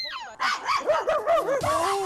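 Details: Two pet dogs barking together on a walk, one joining in whenever the other barks: a rapid run of high, yelping barks, shrill and wavering, about six in under two seconds, very noisy.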